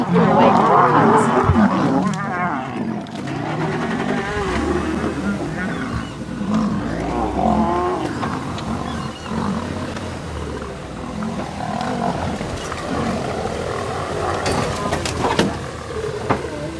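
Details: Long stretch of a lion fight at sunrise, three Birmingham Boys against the Nkuhuma Pride and cubs: dense growling, snarling and roaring that gradually eases, with a man's commentary and faint vehicle noise.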